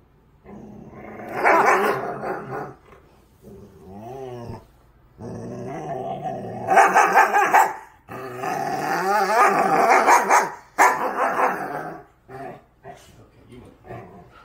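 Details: Siberian Husky named Kai, a female pet, growling and yipping during rough play-biting while her belly is scratched; bursts of rough, noisy growls with higher whiny yips between, some pauses, a person speaking faintly.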